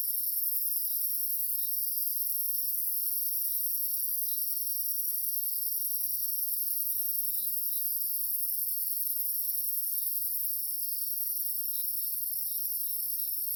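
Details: A steady, high-pitched insect chorus hums unbroken on a moonlit night in the Jamaican countryside, layered shrill bands of continuous trilling.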